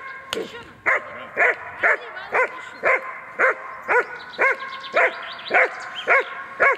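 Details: German Shepherd holding a mock intruder by barking during protection training, pressing the decoy on command; a sharp opening noise, then a dozen strong, rhythmic barks roughly every half second.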